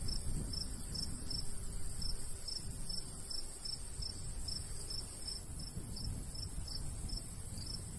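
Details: Rhythmic high chirping from crickets in a rural golden wheat field during summer, pulses regular and continuous throughout, set against a gentle, breezy low hum.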